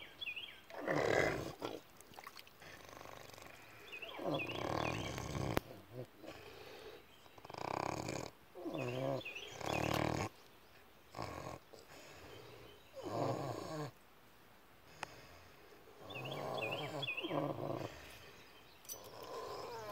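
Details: Pigs asleep at David Crockett birth place park, snoring in a steady series of harsh, breathy rasps roughly every two and a half seconds, while songbirds twitter faintly behind them.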